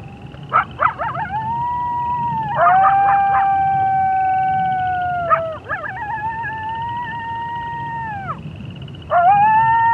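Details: Gray wolf howling at night with frogs and toads in the background: long, steady howls breaking into short yips and rising pitch bends; source sound is labelled coyote howling on a prairie.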